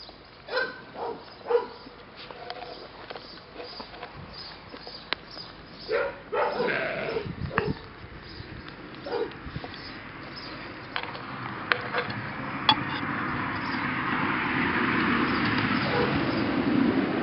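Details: Labrador retriever puppies at Yochiver eating their first meal of solid food from bowls. Short whimpering yelps come early, then a longer whine near the middle, over steady smacking and lapping noises that grow louder toward the end.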